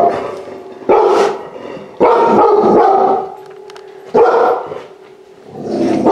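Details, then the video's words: Large-breed puppy saved from a high-kill shelter, reacting on first entering a home: loud clustered barks in three or four bursts, quieter pauses between with a faint steady hum. "Puppy Saved From Death Goes Inside Home For 1st time SEE HIS REACTION"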